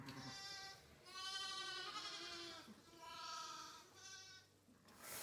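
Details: In March lambing time on a sheep ranch in Saskatchewan, Canada, several sheep bleat in long, wavering, nasal calls one after another in the barn. They are calling because they are hungry as hay bales are thrown down.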